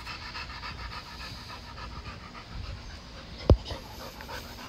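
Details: Dogs playing in a yard; rapid rhythmic panting runs through the clip with a sharp knock near the end and low background rumble.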